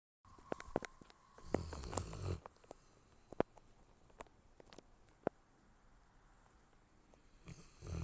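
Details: Dog snoring, two low rasping snore breaths about six seconds apart, one near the start and one at the end, with scattered sharp soft clicks and ticks in the quiet gaps.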